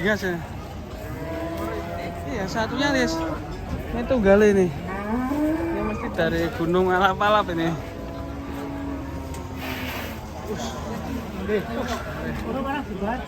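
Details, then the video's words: Raging cattle, one of many in a compilation of enraged cows. Repeated harmonic moos rise and fall in pitch, some strained and wavering, others drawn out and level, over steady background noise. "KUMPULAN SAPI NGAMUK"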